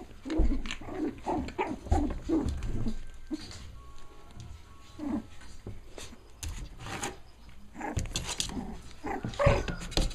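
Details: Five-week-old puppies from one litter playing together indoors, making a run of short low growls and grunts in rapid bursts, with soft scuffling between them and quieter pauses.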